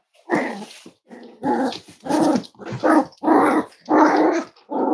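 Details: Cavalier King Charles Spaniel indoors at Red Barn Cavaliers during a kitchen livestream with five-week-old puppies; a loud series of rough, growly bark-whines repeats roughly every half second, close to the microphone.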